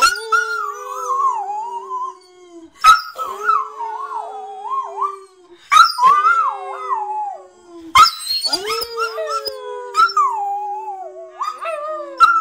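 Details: Two West Highland White Terriers howl together in long, wavering, rising and falling notes.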